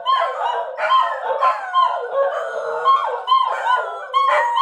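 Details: {'text': "Pet dachshunds howling in chorus when their owner leaves, calling for the owner's return; long, wavering, tonal howls overlap and swell in repeated bursts about once a second, with no other sounds."}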